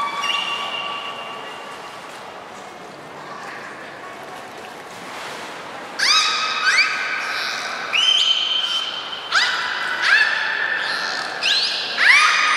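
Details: Captive beluga named Hodoi at Port of Nagoya Public Aquarium, Japan, during a training session for stomach-fluid collection and blood draw, January 6, 2019: quiet start, then a run of about six bright, rich tonal calls, some sliding upward.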